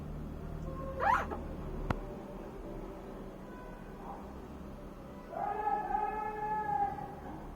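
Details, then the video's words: Golden retriever puppies, five days old, twitching and making funny noises: a short sharp rising squeal, a soft click, quiet pause, then a longer steady nasal whine near the end over faint low hum. "5 days old Golden retriever puppies twitching and making funny noises"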